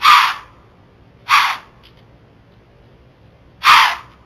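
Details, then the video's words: A white-tailed doe in Florida, recorded by a trail camera, snorts at a creeping bobcat to warn other deer and ward it off. There are three short, breathy, hissing blows, two close together and a third after a two-second pause, over quiet woods. "FLORIDA WHITE TAIL DEER SNORTS AT BOBCAT"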